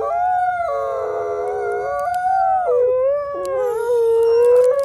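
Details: Three captive-born gray wolves at the Wolf Conservation Center in South Salem, New York, howl together in long, sliding, overlapping tones that rise and fall; a quiet wolf who lost his voice leads the chorus.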